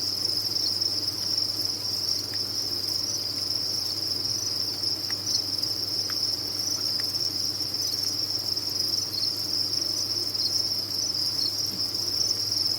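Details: Captive crickets on a farm fill the air with a steady, shrill, high-pitched chirping wall of sound. Scattered faint ticks and a low hum lie underneath.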